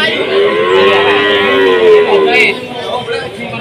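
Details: Cattle at a busy livestock market in Jatirogo, Tuban, during a foot-and-mouth disease outbreak: a long, wavering moo lasting about three seconds, with market chatter and voices in the background.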